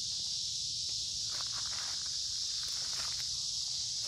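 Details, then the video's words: Cicadas singing loudly in summer woods by a creek on a warm, humid day, their sustained shrill buzz constant while footsteps shuffle and crunch through leaf litter. "Walking along a Creek with lots of Noisy Cicada Insects Singing in Summer"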